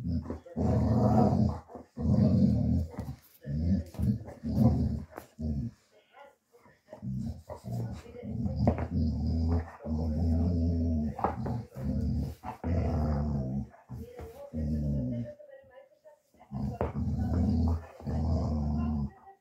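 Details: Male Dogo Argentino mix puppy, born 1 August 2023, at his foster home in Osnabrück, Germany, December 2023, growls almost continuously: deep, rasping rumbles in uneven bursts with brief pauses, some higher whiny edges, indoors.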